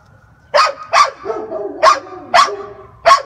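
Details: A Great Pyrenees puppy that dislikes being left alone gives five short, high yelping barks or howls at uneven intervals.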